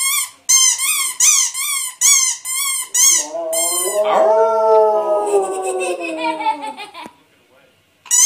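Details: Household dog set off howling by a toddler squeezing a squeak toy; a run of high, regular squeaks gives way to a sustained, quavering howl that swells, holds for about three seconds, then falls away to quiet before one last squeak.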